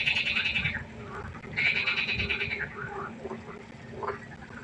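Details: Night chorus of frogs at a pond: two strong rattling, pulsed bursts open and return after a pause, followed by softer scattered croaks from more distant callers.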